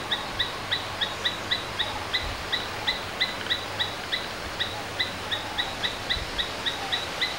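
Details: A domestic Asian palm squirrel gives sharp, high chirps repeated about three times a second.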